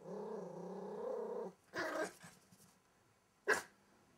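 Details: Welsh Terrier puppy hiding under a wardrobe growls in a steady, low, rumbling tone for about one and a half seconds, followed by rustling, soft shuffling and one sharp knock.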